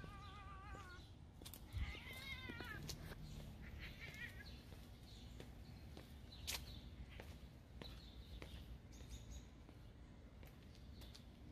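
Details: A Ragdoll cat walking on a leash, having run off into the next-door backyard, gives a few wavering, drawn-out meows, followed by outdoor rustling and clicks.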